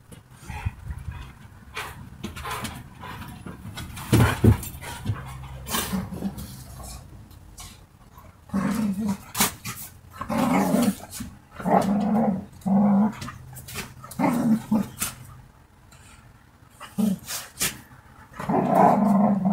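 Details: Two or more dogs at play-fight growl: scattered scuffling and thuds give way to a run of deep, buzzy growls roughly every second, rising into louder snarling bursts toward the end.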